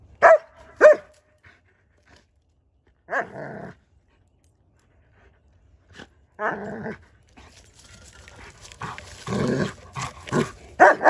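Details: German Shepherd named Odin attacking a log: a pair of sharp barks opens, then single gruff barks near three and six seconds, followed by scuffling noise and a closing burst of loud barks.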